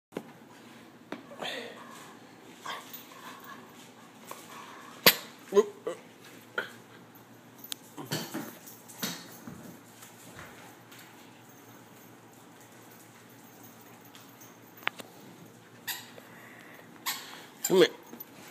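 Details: A Bull Terrier playing tug-of-war and fetch indoors gives short barks and whimpers, with people talking nearby.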